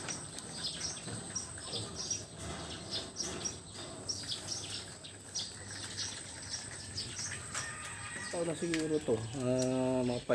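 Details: Goat from a herd of crossbred, high-grade goats, some young and some horned, giving a wavering, nasal bleat in pulsed bursts near the end, after several seconds of talking, scattered chirps and background noise.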